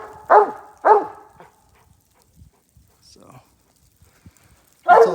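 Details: In Iowa, the raccoon hound Smooth barks twice in quick succession at the tree. A long quiet gap with soft rustling and a brief voice follows, then another loud bark closes the stretch.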